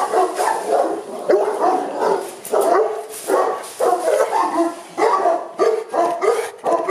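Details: Boerboels kept at a kennel, Aubin Boerboels in Accra, barking in repeated bursts, several dogs overlapping, the rough barks coming in quick clusters with short gaps between them.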